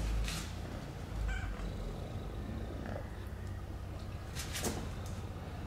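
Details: Female stray cat rescued in Istanbul after falling ill, hugging in thanks for help: a continuous deep, even purr fills the whole recording, broken only by a few soft knocks and handling noises.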